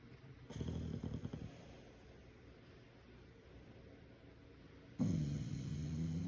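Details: English bulldog named Draco snoring while asleep, likened to a human snorer: two low rumbling, rattly snore bursts, a brief one early on and a louder, longer one near the end, separated by quiet breathing.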